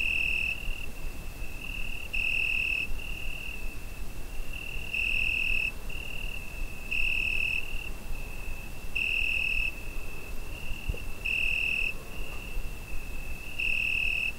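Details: Summer-night crickets captured with a Zoom H5: an unbroken high-pitched trill, with a louder pulsing chirp rising out of it roughly every two seconds, seven times in all, over low rumbling background noise.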